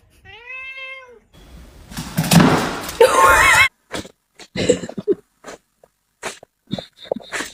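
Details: Cat meowing in a funny-cats compilation: a clear, tonal, slightly rising then falling meow near the start, followed by louder scuffling noises, thumps and scattered short sounds.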